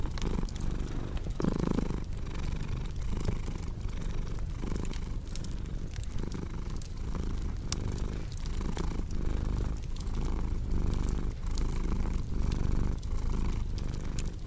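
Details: Deep, steady cat purring with a throbbing rhythm that rises and falls every half second or so, accompanied by a warm fireplace hiss and scattered crackling pops of wood.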